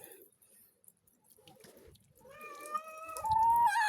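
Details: Cat during a bath giving a long, steady, tonal meow that grows louder and bends upward near the end, with faint water sounds and room noise behind it.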